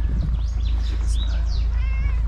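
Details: Hungry street cat in Morocco, wanting food more than cuddles; a few short, thin meows rise and bend over steady low wind rumble, with a brief tonal mew near the end.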